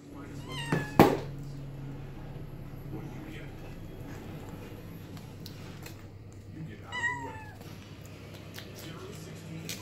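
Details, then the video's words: Domestic cat crying indoors: a short meow near the start followed later by a second higher, wavering meow, with room hum and a sharp knock between. "crying for no reason Cat Meows"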